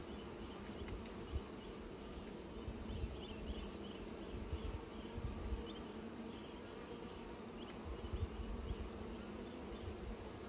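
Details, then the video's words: Bees making new nests, giving a steady, continuous droning buzz with a low hum throughout, and faint short chirps higher up in the background. "Bees are making new nests"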